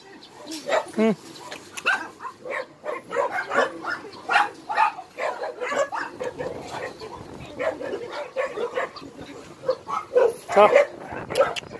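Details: Barking chorus from rescued abandoned dogs at Hanna's shelter in Daegu, Korea: dense, overlapping sharp barks repeating almost continuously, with a man's voice talking among them.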